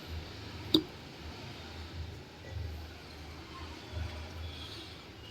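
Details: Outdoor background rumble with a single sharp click early on and soft shuffling, with no animal voice heard.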